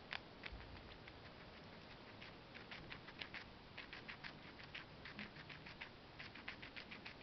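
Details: Guinea pig, a female, chomping parsley: crisp, rapid clicking bites in bursts, louder and more distinct toward the end, with fine rustling between chews.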